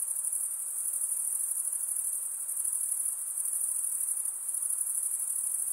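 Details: Steady, high-pitched buzzing trill of night insects, dense and unbroken with slight wavering in intensity, above a quiet background hiss.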